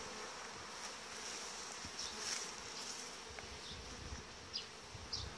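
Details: Massed honey bees in a super colony of 18-19 frames, grown after uniting with bees from dismantled nuclei, late July; a long, even, hissing hum with a low tone beneath and scattered short ticks and flicks.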